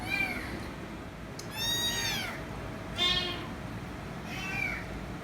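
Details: Kitten meowing loudly and insistently, demanding head rubs: four high, arching meows that rise and fall, about one second apart, over a strong background hiss.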